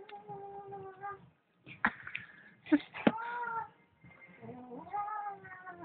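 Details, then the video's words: Indoor cat giving drawn-out, wavering meows and yowls that bend in pitch, mixed with a few sharp knocks and people's voices talking nearby. "Funny cat sounds"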